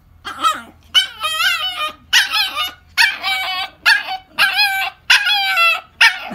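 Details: Toy poodle, a female, giving a run of yelping, whining barks, about seven bursts each with bent, wavering tones, some drawn out like talking howls, with a low hum beneath.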